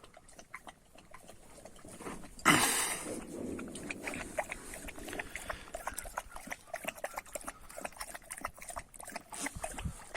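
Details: Kangal shepherd dogs, ambitious young dogs that fight constantly, scuffling together: a sudden loud snarling burst, then rough low growling noises fading into a long run of sharp clicks, scrapes and movement sounds.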